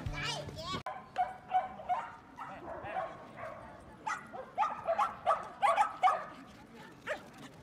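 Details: Dogs at the dog run in Yoyogi Park, Tokyo, barking in short repeated bursts, about two or three a second, with people talking early on and throughout.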